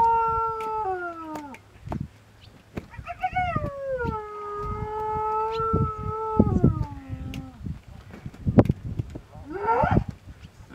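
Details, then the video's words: A terrified young spotted hyena, stuck for hours inside an elephant carcass while lions harass it, Maasai Mara, Kenya, March 2022. Drawn-out tonal wails slide downward in steps, separated by brief bumps and rustles, ending in a short rising yelp. "Hyena video, shrieking & howling in terror from inside a dead elephant"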